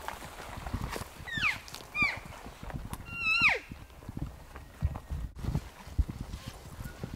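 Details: Bull elk bugling on a ridge between two basins during a September 2018 archery hunt, answering a hunter's calls: high whistled notes that sweep down steeply, three drawn-out squealing phrases with strong overtones, footsteps and rustling underneath.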